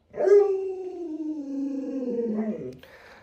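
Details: Lolo, a pet Alaskan Malamute, questioned by its owner about its daughter and a puppy: a single sustained, harmonic howl of nearly three seconds, starting higher, gliding gradually down, then briefly rising before breaking off into quiet room sound.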